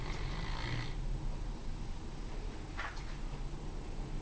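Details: Saxon, a Komondor dog, snores while sleeping: a single low, rough rumbling breath in the first second, then quiet room hiss with a faint brief rustle.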